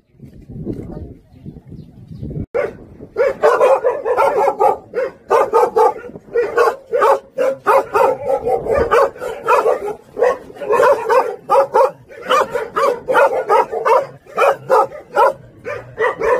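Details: Jindo dogs of the Song Baekgu brothers, hunting dogs kept at a local Jindo kennel with many visitors, barking continuously in quick repeated yelps after a brief stretch of a man talking.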